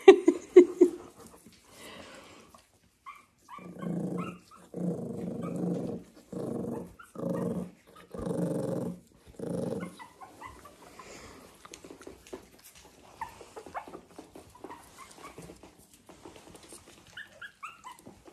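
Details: Teething young puppies, eyes still misty as they learn to see, explore a slippery linoleum kitchen floor on a County Kilkenny, Ireland farm. They give soft, rough little growls and grunts, then faint high squeaks. Dog (puppy).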